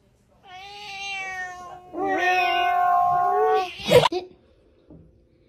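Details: Blue-eyed Siamese cat meowing indoors: two drawn-out meows, the first thin and even, the second louder and wavering, then a sharp thump and a short crackle, with a person's voice telling it to sit nearby.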